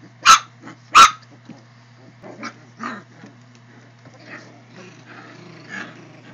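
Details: Wheaten terrier puppies: two sharp, loud yips close together at the start, then softer short whines and grumbling calls trailing off, over a steady low electrical hum.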